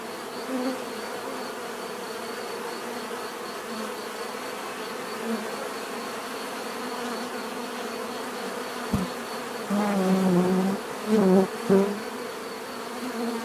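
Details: A continuous hum of buzzing bees, with several loud close passes near the end as individual bees fly right by with deeper rising drones.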